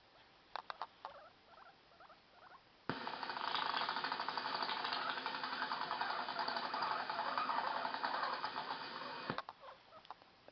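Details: Guinea pig; teeth chattering; angry warning to stay away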